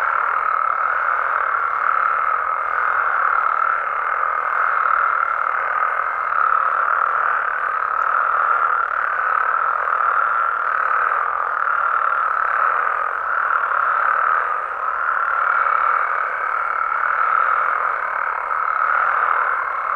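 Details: Night chorus of Mexican frogs and toads in the wild, a thick continuous wall of overlapping croaks and trills that pulses gently in loudness throughout, with a faint high ticking layer above.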